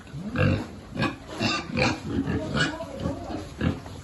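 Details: Piglets feeding on a pig farm where the group has lived for generations, some animals abandoned or disabled; short low grunts repeat roughly every half second, with a few squealing bursts.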